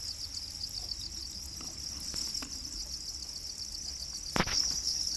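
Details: Shrill, unbroken trilling of domesticated black crickets (Para crickets) in captivity, a fast pulsed high tone with a few soft taps and one loud knock toward the end.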